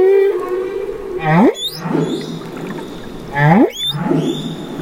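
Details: Underwater calls of a baby humpback whale off Mexico's Banderas Bay: a short level moan followed by two swooping upsweeps, each ending in thin high chirps, spaced about two seconds apart over a gurgling background.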